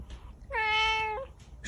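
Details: Single bright, sustained meow from a cat with a kitten, steady in pitch and rich in overtones, ending with a slight upturn, over faint background noise.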